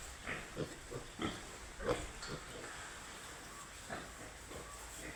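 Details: Piglets on a farm producing brief, irregular grunts roughly every half second, a few louder squeaky bursts, with constant background hiss.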